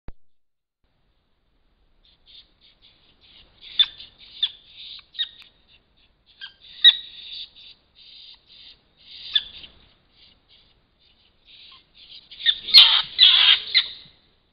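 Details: Fishers fighting or playing give thin, high squeaks and chirps in scattered bursts. Toward the end these build into a dense, harsh squealing chatter, with near silence between the calls.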